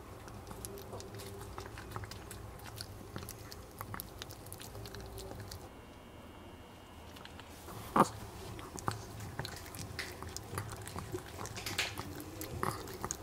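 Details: Indoors, a male Maltese named Jamong eats duck neck bones. He chews steadily with crisp crunches and clicking bites, pauses briefly with a faint hum in the background, then gives a loud crack and resumes grinding.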